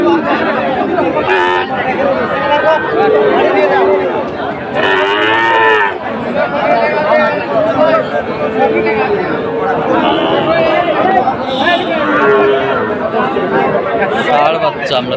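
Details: At a Dhaka cattle market on 16 September 2024, where Sahiwal breed bulls are being bought, a single deep moo rises out of constant crowd chatter and shouting, partly buried beneath people's voices.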